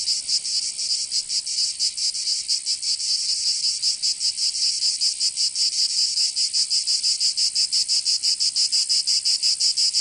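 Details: Cicadas singing in summer in Provence, southern France: a dense, loud buzzing chorus pulsing rapidly, about three beats per second, high-pitched and continuous throughout, with no other sounds.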